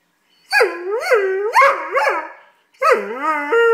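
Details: Doberman puppy mid-tantrum, howling and whining in rising and falling wavering tones, ending on a long steady whine after a brief break.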